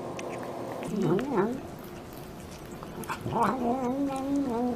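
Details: Cats fed at home murmur while eating, giving two bursts of low, wavering, harmonic growl-like calls that bend up and down, the second drawn out and steadier near the end, over quiet indoor background.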